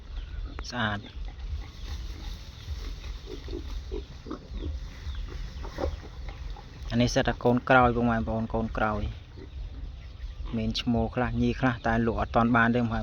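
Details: Captive wild boar, one of five remaining males offered for sale and kept for breeding; low, rapid grunts heard under and between a man's steady talk, with bursts of voiced sounds around the middle and end.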